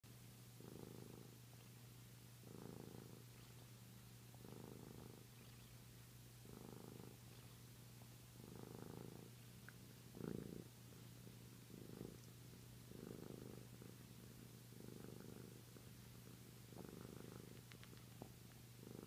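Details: A Flame Point Siamese cat, a male who sucks his tail to calm himself to sleep, purrs in a deep, even rumble that swells with each breath about every two seconds, over a faint steady hum.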